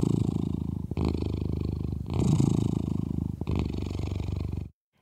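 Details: A domestic cat purrs in a deep, steady rumble that swells and fades with each breath; the purr is said to fall in the same frequency range as an elephant rumble.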